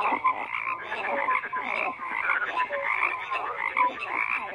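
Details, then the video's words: Brief stretch of frogs croaking en masse: crowded rasping pulses with scattered short whistled notes, several callers overlapping at once. "FROGS CROAKING"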